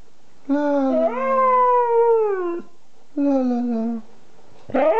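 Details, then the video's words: Siberian Husky Kanu, aged 2, makes short talking sounds indoors: two drawn-out, moaning phrases that climb and then slide downward, separated by silence, then a sharp rising yelp. "Howling Kanu - Siberian Husky talking"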